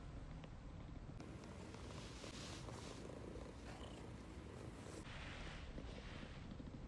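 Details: Ragdoll cat purring while affectionately rubbing against its owner; a steady low rumble runs throughout beneath a broad hissing noise that brightens in the middle section.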